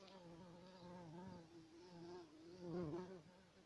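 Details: Bumblebee buzzing with a steady, low, droning hum whose pitch wavers slightly. The hum swells louder near the end, over a faint background hiss.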